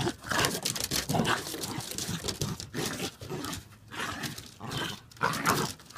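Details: Two dogs play-fighting and wrestling on a deck, with rough, noisy growls and scuffling bursts, a few brief higher yelps, and short quiet gaps between tussles.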